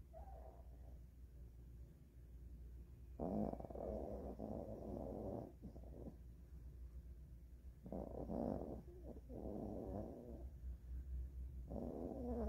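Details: A sleeping Maltese dog, full after a meal and dozing on the owner's mother's bed with its favourite blanket, snores in slow, raspy breaths that swell and fade every few seconds.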